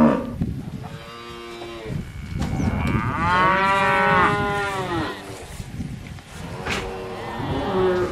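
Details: Cattle on a farm giving drawn-out, low moos that rise and fall, several calls overlapping across the recording with steady background noise.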